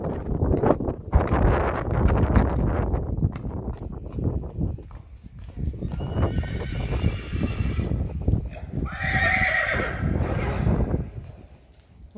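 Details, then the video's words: Friesian horse colts, two-year-old stallions in a herd, moving about with heavy hoof thuds and clopping, then a loud, shaky, descending whinny with a second high neigh near the end. "Beautiful Friesian horses"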